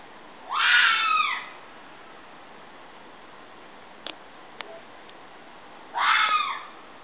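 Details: Two hoarse, shrill fox screams about five seconds apart, each roughly a second long with a rising onset and falling tail; faint clicks in the quiet gap.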